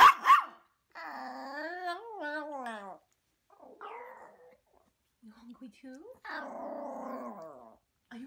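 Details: Pinky, a chatty Maltese puppy that likes to talk, producing drawn-out whining howls that rise and fall in pitch, broken by short growly grumbles and a final rough, wavering moan.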